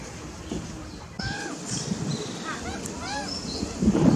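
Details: Meerkats at Taipei Zoo, recorded 15 April 2021 at 16:33, give short, arching chirps with a nasal, harmonic edge, repeated in quick, uneven bursts.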